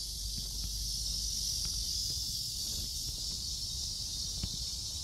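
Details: Cicada chorus in Seoul Innovation Park, July 11, near 11 in the morning, recorded while walking. An unbroken high buzzing hiss holds throughout, over soft low background rumble and a few faint taps.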